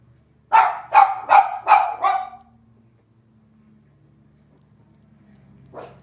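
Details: Cavalier King Charles Spaniel puppies of Robin's litter, filmed on an indoor kitchen livestream, give five quick, evenly spaced high yips, then quiet room hum and one soft final yap.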